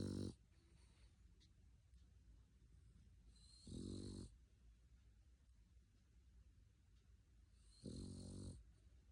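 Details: Male dog asleep and snoring; three rasping snores, each about half a second long and about four seconds apart, with quiet breathing in between.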